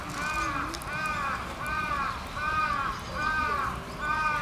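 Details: Giant panda Tan Tan at Oji Zoo on 19 January 2021, excited by falling snow, standing up and scratching: a run of five arching, harmonic bleats, about one per second, over a steady low background rumble.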